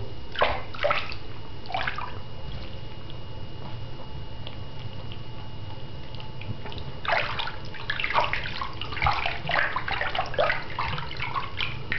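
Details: Water sloshes and drips in a small indoor tub during a pet ferret's bath, with bursts of splashing and a steady low hum.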